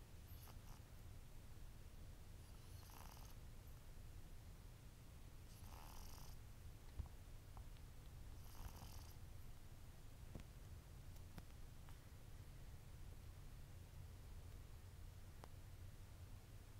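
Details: Pet cat asleep and snoring through an afternoon nap, April 2010: faint, airy breaths recurring roughly every three seconds, fading toward the end, beneath a constant low hum.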